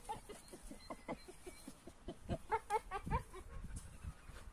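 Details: An AmStaff and a Kuvasz in rough play: choppy, tonal growl-whines repeated about twice a second, with low thuds and huffing breaths beneath, louder grumbling yelps clustered in the middle.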